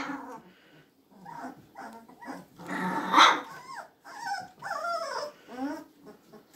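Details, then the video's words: Magyar Vizsla puppies, recorded 24 February 2021, making soft whimpering and whining sounds with wavering, bending tones, fairly quiet throughout with one louder squeal in the middle. "Magyar Vizsla Welpen"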